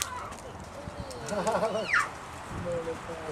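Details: Seven-month-old female snow leopard cub at Maruyama Zoo, Sapporo, Japan, filmed 10 December 2009, her voice shifting toward a meow: one short, high, falling cry, with murmuring human voices around it.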